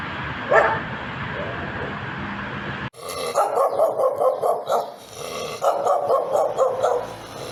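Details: Dog with one early bark, then after a cut, bursts of rapid, rough barking in quick runs with short pauses between them.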